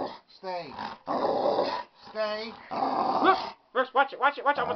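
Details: Dog protesting while its nails are trimmed: drawn-out falling whines, then a quick burst of short repeated yelping notes, mixed with human speech in a small room.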